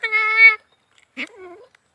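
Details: Cat with a fish bone lodged in its mouth, taken out without an operation, gives one clear, steady, half-second meow followed by a faint, short, falling whine.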